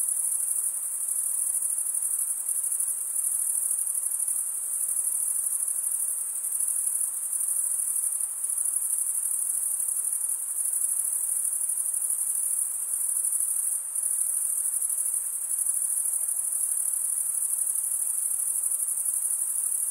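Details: A steady chorus of crickets stridulating: a shrill, continuous shimmering tone that never pauses, with only slight wavering in loudness and nothing else audible.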